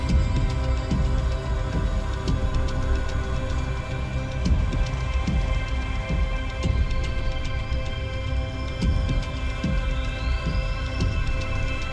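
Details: Dark, ominous soundtrack music with a deep throbbing bass pulse and sustained tones, continuous throughout, with no animal voice standing out.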